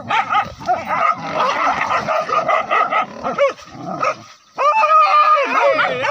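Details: Village dogs hunting a wild boar with spear-carrying hunters, the chase running from the forest down to a river: a dense chorus of overlapping high, excited yelps and barks, several dogs at once, with wavering whining yips near the end.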